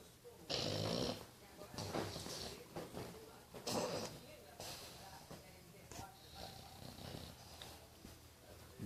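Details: English Bulldog (Canis familiaris), snoring.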